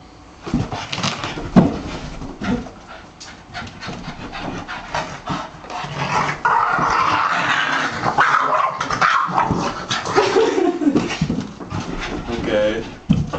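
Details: Boston Terrier barking and making weird noises: breathy panting and snorts, then long grumbling, groaning vocal stretches with brief higher whiny squeaks near the end, in an indoor setting.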